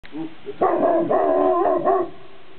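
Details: Dog on a mountain top barking to hear its echo off the peaks; a drawn-out, wavering baroo of about a second and a half with a brief rise and fall, preceded by a short yip, then quiet.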